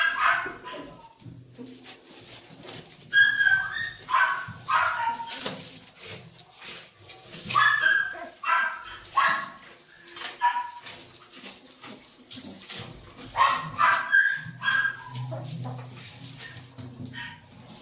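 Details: Doberman puppies, male and female, whine and yelp in scattered bursts of thin, tonal squeals, some rising, spread across the recording amid constant shuffling and handling sounds.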